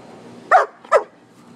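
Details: Playing outside together, a poodle and a shepherd; a pair of short, punchy barks roughly half a second apart, loud and close against a quiet backdrop.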